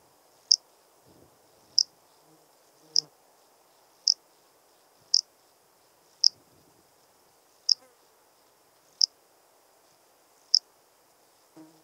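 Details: Lesser field-cricket singing at Breitenbrunn, Austria, on 23 May 2021: short, sharp, high chirps repeated about every one to one and a half seconds, nine in all, over a faint low background murmur.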